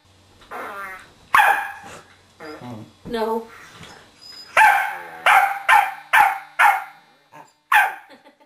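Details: Indoors, a corgi goes after a remote control whoopie cushion tucked under a sofa cushion. Low growly sounds come first, then a quick run of loud, ringing barks. Human voices are heard between them.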